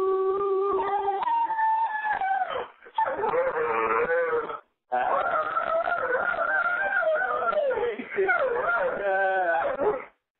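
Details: A Dobermann yodels along to a sung happy birthday in long, wavering, tuneful howls that slide up and down in pitch. There are brief breaks between phrases, with human singing alongside.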